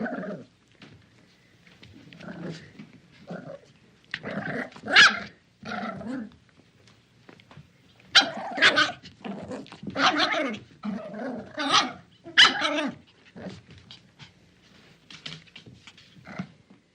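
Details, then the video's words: Small dog playing tug of war, giving bursts of throaty growls and short yappy barks with rough, harmonic tones, clustered in busy runs separated by brief pauses, loudest in the middle section. "Small Dog Plays Tug Of War Sound Effect"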